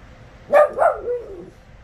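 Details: Indoors, four-year-old Westie Teagan protests her ripped favourite toy being set on the coffee table; two quick yelping whines then a softer falling moan, while her owner talks soothingly about sewing the toy.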